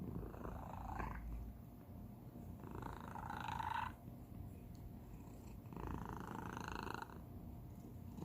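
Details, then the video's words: Domestic cat purring with an unusual, special purr: continuous low rumbling pulses with breathy bursts that swell in inhale-exhale cycles of about two to three seconds, recorded indoors. "고양이 골골송 / Cat purr"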